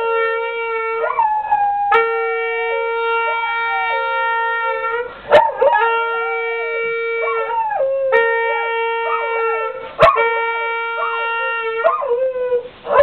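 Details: Horn and dog duet: long flat horn blasts held for several seconds alternate with the pet dog's quavering, bending howls that rise and dip around the horn's pitch, repeated through the recording.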